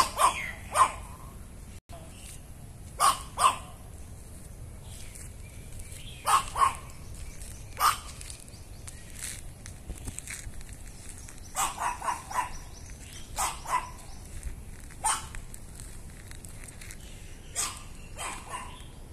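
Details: Chihuahua named Meetang barking at people as he comes to a house, sharp barks in short bursts of two or three, repeated through the recording, with quiet outdoor background.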